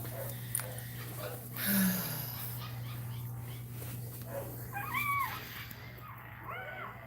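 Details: Indoor crying from a Cane Corso during a labour: two clear, high, arching whines in the last seconds, each bending up and down, after a muffled low thump and background hum, with faint human sounds nearby.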